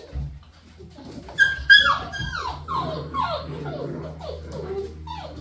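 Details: Puppies at play give high, whining whimpers that slide downward, about three or four a second and unevenly spaced. A few sharp yelps come near the start, and there is a low rumble underneath, apparently indoors.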